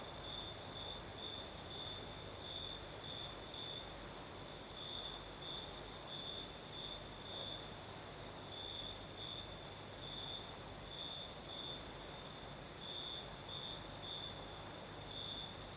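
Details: Night chorus of crickets in southern Crimea under a night breeze: a continuous shrill trill beating in irregular bright pulses, backed by steady windy hiss and a faint, even higher insect whine.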